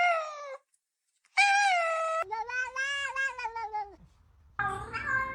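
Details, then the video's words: Domestic cat making a strange noise, giving loud, long harmonic meows with a wavering middle section and a brief pause between calls, indoors. "cat making strange noise"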